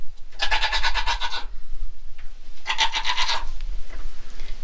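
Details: Goat on a small farm where a doe is settling in before kidding, not yet in stage two of labor: two loud, wavering, strongly harmonic bleats about a second long, separated by a pause of just over a second, in a quiet barn.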